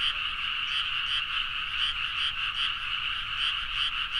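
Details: Midnight frog chorus from paddy fields in Nagaoka, Niigata, Japan, Zoom H4n recording; many callers overlap, with loud pulsed croaks repeating about twice a second, slightly irregular, above a steady droning background.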